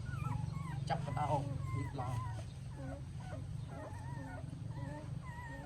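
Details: Puppies with their mother dog in Siem Reap, Cambodia, give thin, high, wavering whimpers that rise and fall in short bursts. People talk in Khmer throughout, with a steady low hum underneath.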